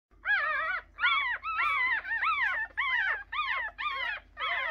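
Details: Three-day-old puppies crying in a steady run of high, arched whines, each rising then falling, about eight cries in under five seconds with short gaps between them; a low hum runs underneath.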